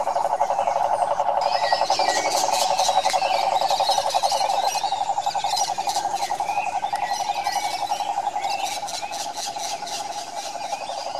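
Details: Brazilian Pantanal cane toads in the wild, many calling together in an unbroken, rapidly pulsing mid-pitched trill, with a busy layer of high buzzy insect-like and bird notes above.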